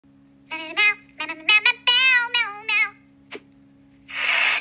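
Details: Sphynx cat on a cold and snowy day, a series of short harmonic meows rising and falling between half a second and three seconds, then a brief click and a burst of hissy noise at the end, over a steady low hum.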